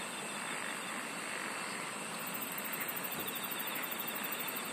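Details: Insects singing in a nature chorus: a steady high shrill drone with a faster pulsing trill above it, continuous throughout, with soft rural background noise.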